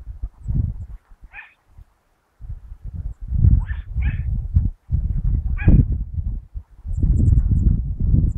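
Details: Rabbit-hunting Dachshund, recorded 22 August 2012, letting out separate high yelps every second or two, including a close pair, over bursts of low rumbling and rustling noise.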